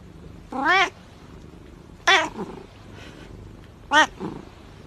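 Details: Cat from a compilation of funny pet clips, giving three short harmonic meows, each rising then falling, spaced about one and a half to two seconds apart over a quiet background hiss.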